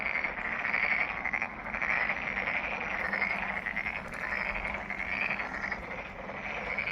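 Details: Frogs calling at Monet's Pond in Ulsan National Garden, South Korea: a dense chorus of rattling, trilled croaks that swell in bursts about once a second, many voices overlapping steadily throughout.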